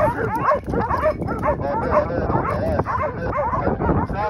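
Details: Several hunting dogs holding wild boar at bay in a drive hunt, Pratomagno, Arezzo, Italy; a busy tangle of excited yelps and barks over rough background noise and voices.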